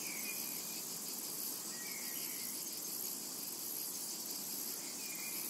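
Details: A brief stretch of summer meadow ambience: cicadas keep up a continuous thin, hissing buzz, and faint bird chirps appear at the start, middle and end.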